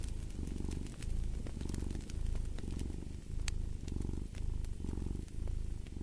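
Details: Close, clear cat purr, a deep vibrating rumble that swells and pauses with each breath roughly every second, with light fireplace crackles in the background.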